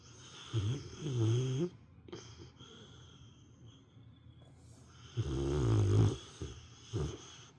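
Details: Pet dog, a female, snoring loudly like an old man during an afternoon nap indoors: two long rough low snores about four seconds apart, each with rattling throaty pulses, plus shorter snorting breaths between.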